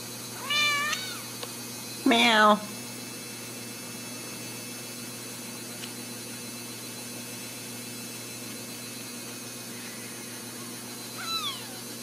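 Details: Ragdoll kittens raised in a home cattery in central Kansas give high, thin meows, one rising-falling cry, then a louder wavering mew, a faint one near the end, over steady room hum after a person says "meow".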